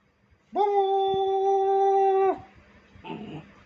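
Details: A pet dog gives one long, steady, level howl lasting nearly two seconds, then a brief rough, noisy sound follows in an otherwise quiet indoor setting.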